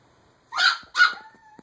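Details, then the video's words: Pet dog, one of a husky and beagle kept at home, gives two sharp, loud barks about half a second apart, the second trailing into a thin, steady whine at the end. "Dogs Happy And Crying"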